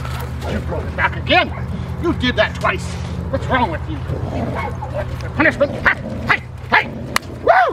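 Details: Foofy, a female Rottweiler in protection training for IGP1 with a helper, barks in sharp, irregular bursts, about a dozen in quick succession. Background music, people talking and a steady low hum run throughout.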